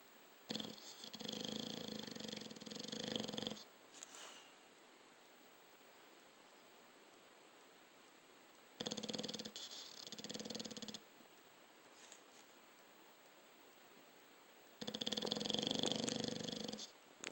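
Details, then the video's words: A sleeping dog snores in three rattling, fluttery bursts of two to three seconds each, separated by quiet pauses of several seconds, with a soft hiss in the background. "Snoring dog"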